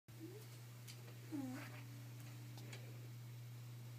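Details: Boo, a two-year-old female Shiba Inu kept indoors, frantic to hide an edible chew she cannot take outside. One drawn-out, tonal whine dips, then holds level for over a second. A steady low electrical hum runs underneath.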